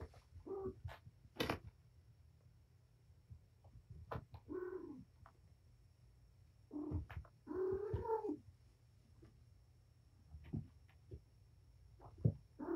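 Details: Patience, a domestic cat mother, playing with her five kittens indoors in a wrecked room after being surrendered to Purrfect Pals: several short harmonic meow-like calls at irregular intervals, mixed with thumps and scuffling of play.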